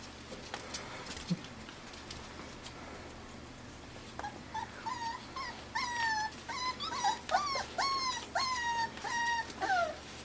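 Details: Five-week-old Pembroke Welsh Corgi puppies bred in Arkansas, playing together indoors; after four quiet seconds with faint rustles, a run of rising-and-falling squealing whines repeats roughly twice a second until the end.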